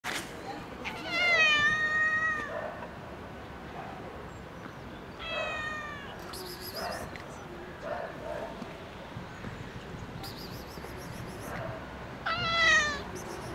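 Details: Park-dwelling cat meowing up toward a balcony, begging for food to be thrown down: three long, drawn-out, harmonic meows spaced several seconds apart, the first and last loudest, over steady outdoor background noise with faint clicks.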